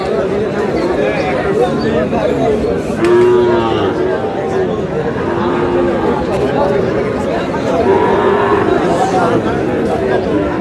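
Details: Sahiwal cattle at a busy cattle market where a Meherpur farmer buys a Sahiwal bull calf: low, drawn-out moos rise at about three and five to six seconds over constant crowd chatter and bargaining voices.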